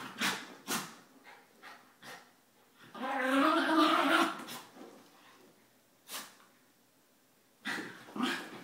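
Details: Morning play among three pet dogs: Einstein, an 11-year-old Mini Schnauzer; Suzi, a 9-year-old Basset; and Emma, a 2-year-old Yorkie. Scattered snorts and short huffs lead into a sustained, rolling growl lasting about a second and a half, then further isolated huffs.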